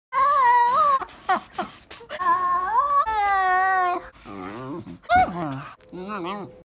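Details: Shiba Inu giving a run of drawn-out, whining, yowling calls that waver, rise and fall in pitch, some held steady, others wobbling, with short breaks between bursts.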